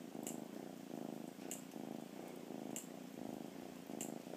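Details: Rescued cat, content and happy, purring: a deep buzzing rumble rising and falling roughly every half second with each breath, crisp clicks cutting in about every 1.25 seconds.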